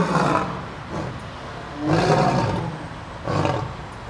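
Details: At the St. Louis Zoo on December 12, 2014, a lion gives three short, rough, breathy grunting roars spread over a few seconds, with quieter background between the bursts.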